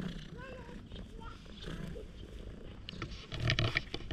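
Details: Stray cat rolling over with a funny face and acting affectionate, purring loudly, filmed on a GoPro HERO8. A low, steady rumbling purr fills the clip, with brief higher tonal sounds early on and rustling handling noise near the end.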